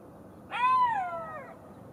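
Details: Golden jackal giving a drawn-out mournful tone of almost a second that rises briefly, then sags and fades downward, with strong overtones over a faint steady hiss.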